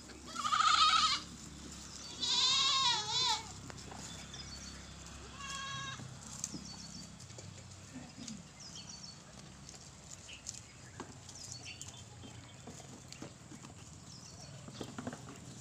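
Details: Goat bleating: two loud, wavering, nasal bleats in the first few seconds, each about a second long with a quavering pitch, then a shorter, fainter bleat, followed by quiet background with scattered clicks and rustling.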